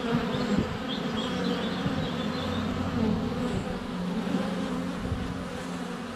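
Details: ['Sunny February hive entrance with honey bees constantly flying around a close-up GoPro: rich, pitched droning buzz with overlapping tones, occasional faint high bird chirps above the hum.']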